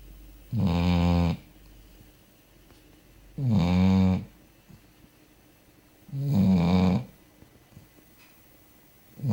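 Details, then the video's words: Dog named Fufi snoring while sound asleep indoors in a small room: three loud, low, rumbling snores about every three seconds, each lasting under a second, with quiet pauses between. "chien qui ronfle"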